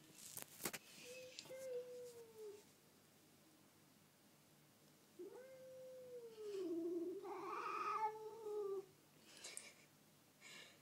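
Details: Black cat stealing food from a ginger cat indoors: long drawn-out meows, a falling wail around two seconds and a longer, louder wavering meow near the end, with small room noise.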